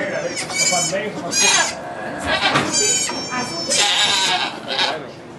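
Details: At a sugar shack in Quebec, Canada, where a goat is giving birth to two kids, short wavering bleats sound again and again beneath overlapping French voices.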